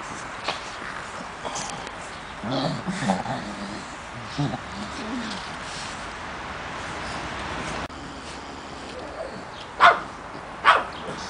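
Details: Three-month-old Pekingese puppies, three of them, in a garden. Low, murmuring voiced sounds come early, then two sharp, high yelps about a second apart near the end, over a steady background hiss.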